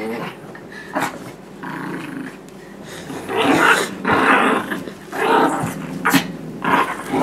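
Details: Indoors, a blue Doberman Pinscher puppy of 9 months named Nibbler and Biscuit, a tiny 6 lb Shorkie, wrestle over a toy. Loud, continuous play growling swells into long harsh rumbles with sharp snarling peaks.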